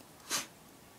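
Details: Pet dog named Luigi sneezing indoors: a single short, breathy burst of hissing noise lasting about a quarter second, bright and airy, with quiet room tone before and after.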